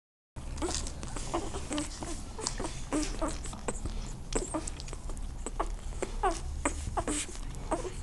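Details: Irish Wolfhound puppies born 23 June 2013 at a Bulgarian kennel give short, thin squeaks and yelps in quick irregular bursts, over steady patter, shuffling and a low indoor hum.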